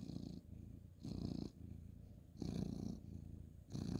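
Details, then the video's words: Purring ginger tabby cat, male, stroked on the bed at bedtime on 2/11/2023; strong low rumble rising and falling in long breath-length waves, each swell lasting about half a second to a second. "cute ginger tabby cat petting purring"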